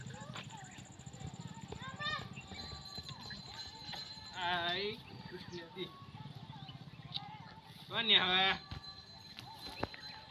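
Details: Cow nursing her calf on an Indian farm: two short, wavering harmonic moos about three and a half seconds apart, over a steady low pulsing hum with music and people talking nearby.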